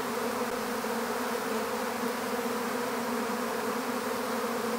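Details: Swarm of honeybees being captured into an empty bee hive: a dense, steady droning hum with layered low tones, unbroken for the whole stretch, no other sounds standing out.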